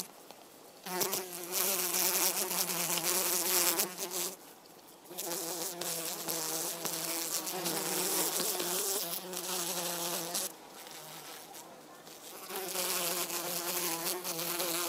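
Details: Drone fly, Eristalis tenax, a hoverfly that mimics honey bees, giving a steady droning wing buzz that runs for several seconds, stops briefly near four and ten seconds, then resumes.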